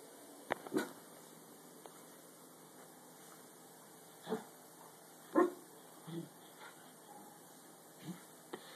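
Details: A curious Dachshund, apparently urged to crawl into a clothes basket, gives a few short, soft barks and yips, spaced irregularly over several seconds.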